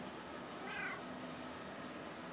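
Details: Bunsen the cat meows once on command to say hello, a short falling harmonic mew in a quiet room while a person repeats "say hello" and "sit".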